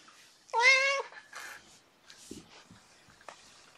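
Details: Indoor cat, one of a rescued mother and four kittens at play, giving a single loud half-second meow with a steady tone, followed by faint softer rustles and small sounds.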